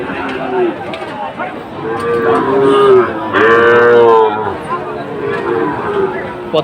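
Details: Sahiwal bull calves at a busy cattle market in Comilla, Bangladesh, on 17 August 2024: drawn-out, tonal moos that bend slightly in pitch, two overlapping calls in the middle, with people talking nearby.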